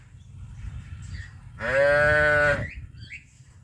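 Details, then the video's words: Traditional village cattle walking in the morning toward green grazing pasture: one loud, drawn-out, strongly tonal call lasting about a second, with soft rustling and shuffling before and after. "Suara sapi lembu lucu berlarian menuju ladang gembala rumput hijau"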